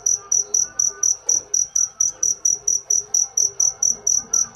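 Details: Cricket giving a steady train of high, shrill pulses, about four per second, each a bright ringing chirp, with faint low murmurs underneath.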